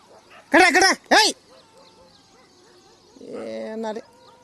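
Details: Pet dogs clash with street dogs during a morning walk. Two loud, harsh, arching barks ring out in quick succession, followed by quieter harmonic voicing, with a person shouting nearby.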